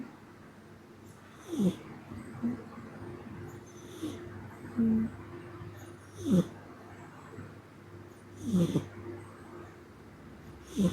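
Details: Sleeping cat snoring, with low rasping snores roughly every two seconds, some louder than others, over a faint steady hum.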